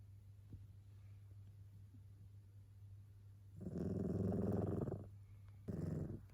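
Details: After a quiet stretch, the sleeping tabby Yukichi lets out one loud, grating snore, then a second begins. The cat often sleeps and snores much like a person. A low background hum persists.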